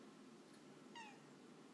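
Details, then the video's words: A brief, clear meow from Jax, the male house cat who keeps talking to his owner as she works from home; a single short note that slides slightly downward, rich in overtones, against a steady background hiss. "Jax cat whispering to me"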